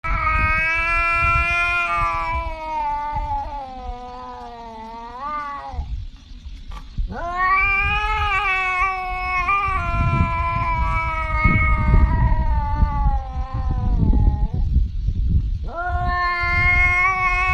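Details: Cat described as talking like a human, giving long, wavering, drawn-out yowls that bend up and down, several seconds each with short breaks, over steady low rumbling background noise.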